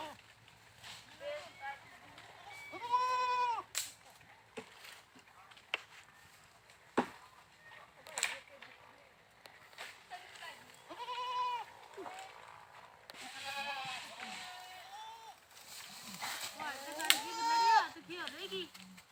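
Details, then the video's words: Repeated goat bleats, nasal and quavering, scattered through the recording with some overlapping calls near the end, mixed with clicks and knocking sounds. "funny #goats sounds funny #bakra sounds"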